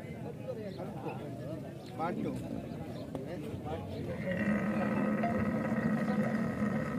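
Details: Camel in mating season in the Thar Desert, Tharparkar, Sindh, Pakistan: after voices of people talking, a loud, steady, buzzy low rumble with layered overtones begins midway and drones on unbroken to the end.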